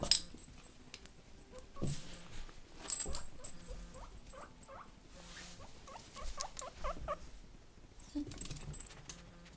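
A guinea pig gives short, repeated squeaky notes over soft rustling and patter.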